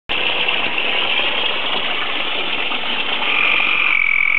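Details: Tree frogs breeding at a koi tank, laying tadpoles daily, croak together in a dense, steady chorus of rapid, overlapping calls.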